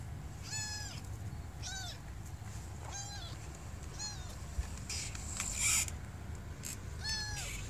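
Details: Kitten stuck down a deep pipe during a rescue in Bulgaria, crying in a series of about six high, piercing meows roughly every second, with brief clattering noises between them.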